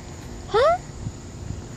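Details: A playful rescued female fox squirrel greets her rescuer first thing in the morning with a single short, rising squeak with a bright, whistled tone, expressing happiness.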